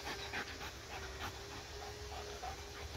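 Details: Pet dog playing with a laser pointer, panting in quick soft breathy puffs that repeat roughly every quarter second against a steady low indoor hum.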